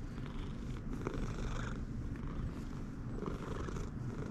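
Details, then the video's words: Domestic cat purring loudly, happy on seeing its owner and turning around her; a steady low rumbling purr runs throughout with faint soft rustles and handling noises, indoors. "Rusty the cat is very happy when he sees me and starts purring loudly"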